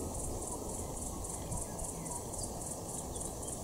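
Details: Redeye cicada at the Organ Pipes National Park, giving a high pulsed buzz that throbs about four times per second and runs steadily throughout, over a constant lower hum and faint background noise.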